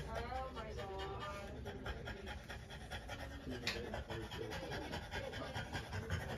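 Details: Panting from a female French Bulldog undergoing trans-cervical insemination, a steady run of quick, noisy breaths, with people talking over the start and low room noise throughout.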